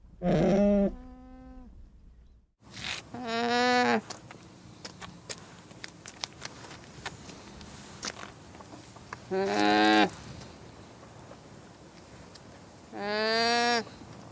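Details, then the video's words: Four short, nasal, harmonic llama calls spread over fourteen seconds, with clicking and rustling noises between them. "What does a Llama sound like?"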